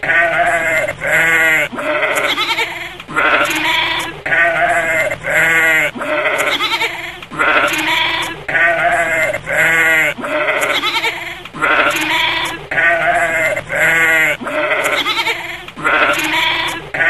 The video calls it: Chèvre qui bêle - Cri de la chevre - Verso della capra - Goat sound